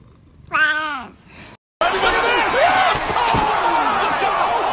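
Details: Cat from a funny compilation giving one clear, drawn-out meow that rises then falls over half a second, followed by a brief cut and a busy, noisy stretch with overlapping sounds.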